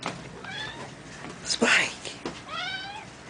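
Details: A male Maine Coon cat gives two drawn-out, wavering meows, asking to be fed.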